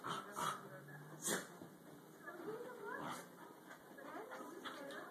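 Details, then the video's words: Dogs at play, giving high whiny yips and squealing whimpers that rise and fall in short curved bursts, with a couple of sharp clicks early on and faint human voices in the background. "Crazy Dogs playing"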